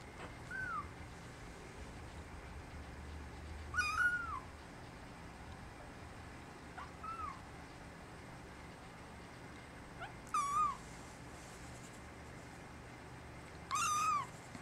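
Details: Brown tabby and white male kitten, born December 24, calling its mother in a sweet voice; five thin, high meows spaced irregularly every three to four seconds, some faint and brief, others louder, over quiet room background.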